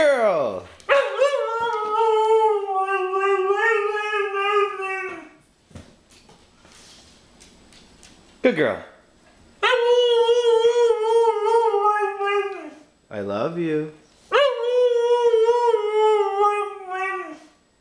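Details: A pet dog does speech-like howling, heard as "I want my Mommy". There are three long, wavering, yodelling moans, each opening with a sharp rising yelp and separated by short pauses. Faint background noise fills the gaps.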